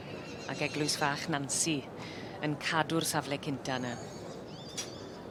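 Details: Welsh Cob brood mares shown in the brood mare 4-7 class at a show; several short, wavering, quavering whinnies rise and fall in bursts near one and three seconds, mixed with a person speaking and hoof sounds.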